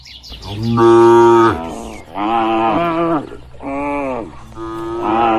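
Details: A herd of tame cattle wandering free in open rural pasture: four loud, sustained, deep moos, each about a second long, with brief pauses between them.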